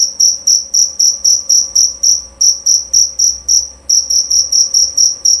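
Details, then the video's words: Loud, clear chirping of a jerabang cricket: a rapid run of high, ringing chirps, roughly four per second, broken by brief pauses near two and four seconds, over a quiet low background hum. "Bunyi Suara Jangkrik Jerabang Nyaring dan Jernih"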